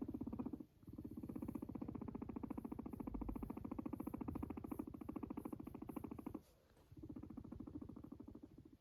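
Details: Domestic guinea pig purring as it yawns, a continuous low buzzing rattle of fast even pulses that cuts out twice for a short silent gap before resuming just as strongly.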